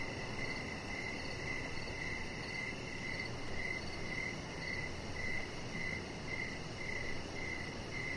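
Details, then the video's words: Evening cricket chorus near a deck lit with decoration lights. Bright, high chirps repeat evenly, roughly every two-thirds of a second, about twelve in all, above a broad background hum. "Chihuahua Puppy Laying On Deck with Cricket Sounds"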